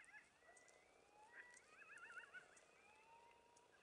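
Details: Coyote family yapping near the Algodones Dunes Wilderness Kiosk in the desert dunes around 4am on a stormy night: thin, high wavering howls that rise slowly, with a warbling trill in the middle and overlapping voices.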